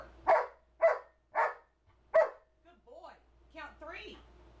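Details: Two-year-old male Old English Sheepdog, trained to count by barking on command indoors: four short, sharp barks about half a second apart, followed by a person's voice giving praise and commands.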